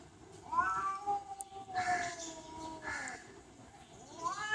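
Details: Domestic cat meowing in slurred, wavering tones that slide downward, with breathy noisy bursts between calls and a final upward-sweeping meow at the end.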